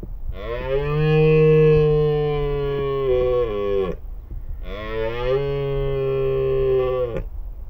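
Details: Wild red deer stag roaring in the breeding season: two long, loud, harmonic-rich bellows of about three seconds each, held steady then dropping off, separated by a short pause.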